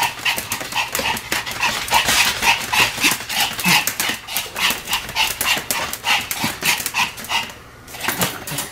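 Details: Two pet Pomeranians, Sam and Marin, bark together in a duet: rapid, sharp, high yaps tumbling over each other about three per second, steady and insistent throughout with no other sounds.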